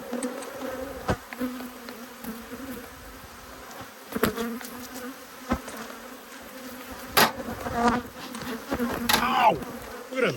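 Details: Agitated honey bees buzzing as their two hives are opened for inspection on 5 March 2022. A continuous low hum holds throughout, punctuated by loud taps and clicks, with a brief swooping whine near the end.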